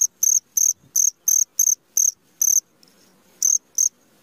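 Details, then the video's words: A cricket at midnight gives sharp, high-pitched chirps, about nine short bursts in quick succession with a near-one-second gap before the last pair, over a very quiet background. "SUARA JANGKRIK TENGAH MALAM"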